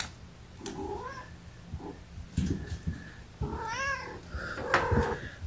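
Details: Several tiny kittens, part of a litter of five born April 14 to mother Gamora, squeak and mew while lying in a lap. Short upward-bending cries overlap with handling noises and rustling, indoors.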